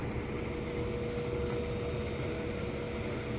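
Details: A steady engine-like hum with a constant tone fills the whole stretch, and no animal voice cuts through it.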